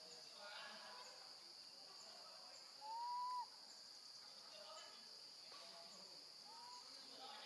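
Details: A baby monkey left alone with her grandma gives a short, clear, rising wail, calling loudly for her mother, over steady insect drone.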